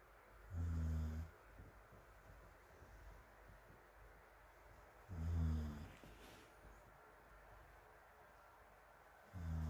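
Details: Morimori, a dog asleep on a sofa under an electric fan in Hamanaka, Hokkaido, Japan, recorded on June 21 from a distance among other sleeping dogs, snores in deep, harmonic bursts about every four and a half seconds over a steady fan hum.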